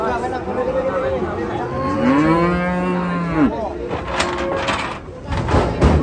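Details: Rampaging sacrificial cow (sapi kurban), 2024, gives one long, resonant moo lasting about a second and a half, swelling and then bending downward at the end, followed by bursts of crowd noise and knocking.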